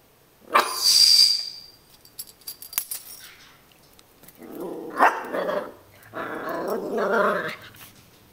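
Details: Puppy opens with a sharp, high, hissy burst, then after a pause gives two low rumbling growls of about a second each.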